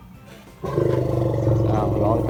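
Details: An Asian elephant at an elephant study centre in Ban Ta Klang, Krapho, Thailand gives a deep, sustained roaring call, begging for food such as bananas and sugarcane; the call is loud enough to carry far.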